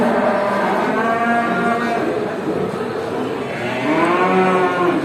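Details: Farm cows walking together back to the barn as the farmer herds them after grazing in a village; steady chorus of overlapping long moos, a louder rising-and-falling moo near the end.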